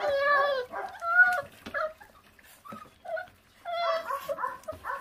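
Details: Feral puppy whose stray mother gave birth and left it uncared for, whimpering during a meal. A long, wavering whine opens, short squeaky yips follow, then a quiet pause before another burst of whimpers near the end.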